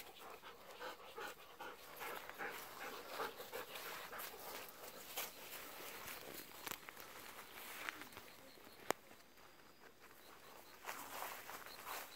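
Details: Evening-walk panting by a Golden Retriever asking for persimmons that are not ripe yet: fast, breathy, uneven huffs over a steady hiss of outdoor noise, with a few sharp clicks.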